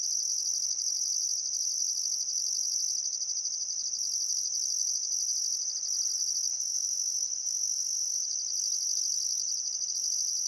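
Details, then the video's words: Australian crickets chirp in a dense, even, high trill by the Barcoo River in Outback Queensland's Welford National Park at summer sunset. A higher pulsed chorus sounds in bursts with brief gaps. The air is otherwise still. "Australian Sunset Chirping Crickets"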